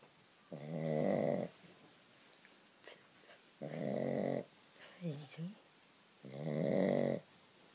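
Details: A Shih Tzu dog snores loudly while sleeping, in long, rasping, buzzy breaths about every three seconds.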